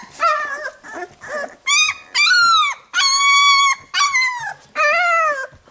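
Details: Labrador Retriever puppies being cleaned by their mother after a nursing session give loud, piercing whines, some short and some held for nearly a second, gently rising then falling, in quick succession.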